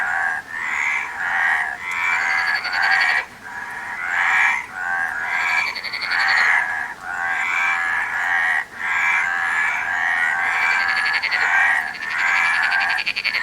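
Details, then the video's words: Several frogs croak together, grating ratchet-like calls running in uneven bursts with brief dips between them, a few higher buzzy notes standing out above the steady chorus. "Frog Sound"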